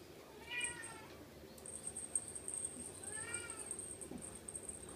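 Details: Ragdoll kittens, one litter born in May and another in March, at a playful, mischievous age. Two clear arched meows with stacked harmonics, about three seconds apart. A steady high whine runs through the background.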